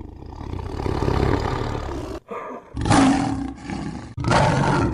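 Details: A tiger roars: a low growl builds steadily for two seconds, stops abruptly, then two harsher, louder roaring bursts follow, each cut off sharply.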